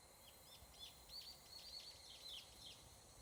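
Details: Evening cicada, or higurashi, in a Japanese mountain forest at summer dusk, giving quick bright high-pitched pulses in an uneven run over a faint, constant insect hum.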